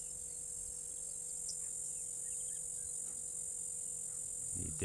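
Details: Background chorus of cicadas outdoors, heard as an even, piercing high-pitched drone that never breaks, under a low steady tone and faint other calls, ending with a brief thump.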